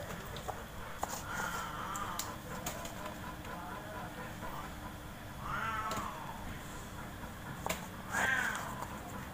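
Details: Large and small cats playing in their front-yard cage give three soft meows spread a few seconds apart, the last higher and sharper. Sharp clicks, knocks and a steady background hum sound between them.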